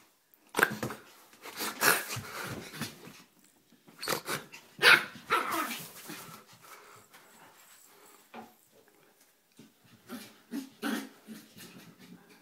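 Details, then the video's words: Small 4 lb pet Yorkie, female, worked up and playful inside the house; loud snappy barks open the sequence, then fade into lower growling and huffing, with a couple of barks near the end. "Feistiest Little Purse Dog!"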